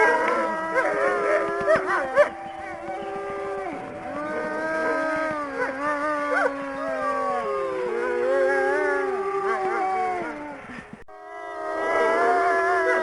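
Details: Several gray wolves (Canis lupus) howl together in long, sliding, overlapping tones that rise and fall.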